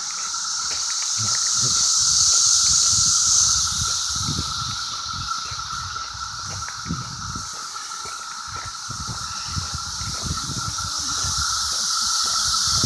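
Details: A chorus of cicadas in CVNP fills the air with a loud, high, shimmering hiss that rises and falls gradually, over a constant lower buzzing tone, with faint outdoor rustling.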